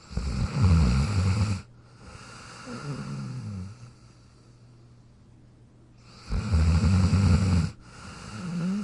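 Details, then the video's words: Sleeping in his dog bed, Jack the dog snores in cycles: loud low rumbling inhalations separated by softer breaths and quiet gaps, repeated twice. "Jack Sleeping & Snoring in his Dog Bed"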